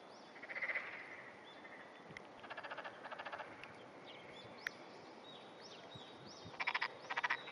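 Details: Early morning, 14 June 2009, with a pair of black-spotted pond frogs in amplexus, the male smaller; several rattling, pulsed croak bursts sound about every second or two, with high bird chirps and a sharp click in between.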